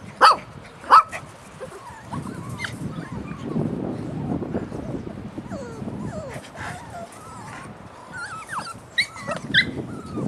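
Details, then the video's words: Puppies recorded on 3 May 2013 make two sharp, loud yips near the start, then a run of thin, rising and falling whines and squeaks, ending in a few more quick yelps over low scuffling. "Our puppies"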